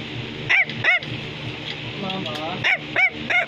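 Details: Bichon Frisé giving bright, ringing barks in two pairs, with a brief whiny, wavering vocal sound between them, then a final trio of sharp yaps over faint background music.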